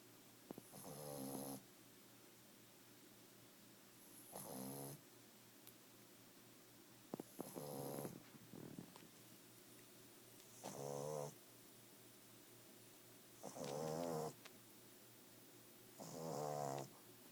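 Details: A 5-month-old Boston Terrier snores while asleep in rough, buzzy, rasping breaths, each rattling snort about a second long with a faint airy hiss on top, recurring roughly every three seconds, with occasional small clicks in a quiet room.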